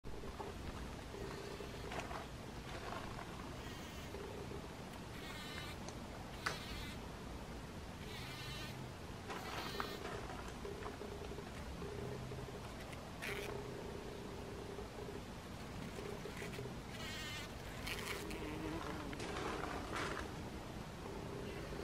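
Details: A bee in a poppy flower buzzes in bursts, a droning hum that swells and fades over a low background rumble.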